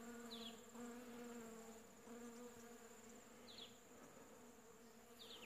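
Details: Honey bees swarming a flowering shrub to gather pollen during winter, late July 2015: continuous layered buzzing hum, with three short high downward chirps from another animal spaced across the recording.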